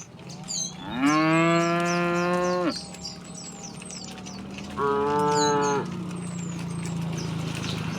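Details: Tame cattle, cows and oxen in a herd, walking to wide green fields in the morning; two long, rich moos, the first lasting nearly two seconds, with birds twittering above and a steady low hum throughout.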